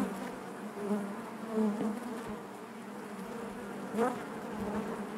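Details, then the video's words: Honey bee colony buzzing inside its hive: a constant low whirring drone with harmonics, marked by a couple of brief louder swells. "bees therapy hive natural buzzing sound"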